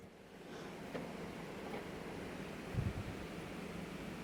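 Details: Only a low steady hum with faint rustles and a few soft knocks, no animal voice.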